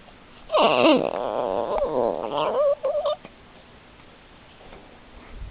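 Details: Male dog making funny noises: a wavering, high whining moan with a rising and falling pitch lasts about two and a half seconds, then a few short whiny bursts, ending in quiet room tone.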